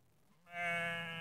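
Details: A single loud, sustained bleat from a ewe or one of her three black lambs, recorded in Netoniai, Kaunas district, Lithuania, on 27 September 2016 in the early evening; a rich, steady nasal tone after a brief quiet start.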